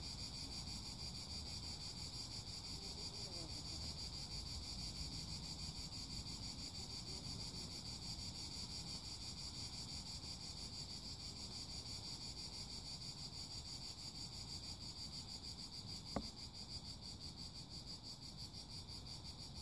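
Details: Cicada. A chorus of cicadas keeps up an unbroken, high-pitched buzzing drone, even and sustained throughout. Low wind rumble runs underneath, with one brief click near the end.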